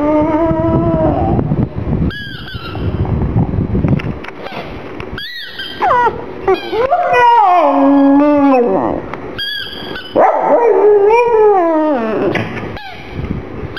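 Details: A black pug named Gong Fu cries, feeling sad for his little ball; a long run of high, wavering whimpers that slide up and down and often fall away at the ends, with brief quiet gaps between bursts.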